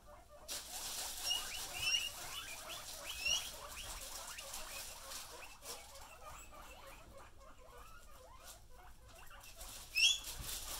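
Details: Pet guinea pigs being teased, giving a run of short, soft squeaking chirps that repeat steadily through the clip, with a few brighter high squeaks standing out; faint rustling in the background.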